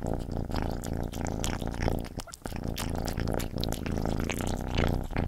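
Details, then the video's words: Close-up of Gordy the cat eating: rapid wet chewing and crunching clicks throughout, layered over a continuous low, purr-like rumble, briefly dipping just after two seconds. "Cat Gordy Eating ASMR"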